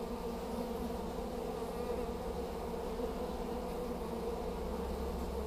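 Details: A collected honey bee swarm in Hampshire in late May 2015, fanning at the entrance of its new hive with many bees entering, makes a dense, steady, low droning hum that never lets up.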